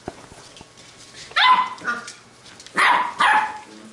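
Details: Playing Labrador retriever puppies from a B litter let out sharp, high yipping barks in two quick pairs, each burst short and bright, separated by near-quiet pauses with faint scuffling.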